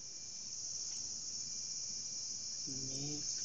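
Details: Japanese cicada recorded from indoors, a bathroom: a steady, piercing, unbroken high whine that holds on one pitch throughout, with a brief low hum near the end.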